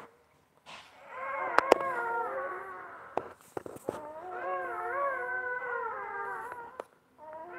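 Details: Basset Hound mother tending her newborn puppies indoors; long, wavering, nasal whining moans that rise and fall in pitch, broken by a short pause, with a few soft clicks and knocks.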